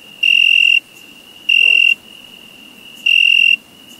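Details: Cricket chirping in summer, three shrill, buzzy bursts of about half a second each, spaced over one second apart, with a constant thin high whine of more crickets running underneath.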